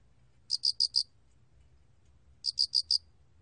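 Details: 알락귀뚜라미 cricket recorded by the National Institute of Biological Resources, 2020: two crisp high chirps, each of four rapid pulses, separated by about two seconds of silence over a faint low hum.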